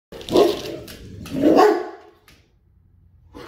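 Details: A male Rottweiler lets out two deep, booming barks about a second apart, warning a stranger at the door to leave while protecting his home and family.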